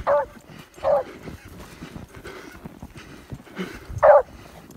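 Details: Older female beagle barking excitedly after catching the scent of a fox: three loud, sharp single barks, two about a second apart and a third after a pause. Soft rustling and shuffling noises continue between them.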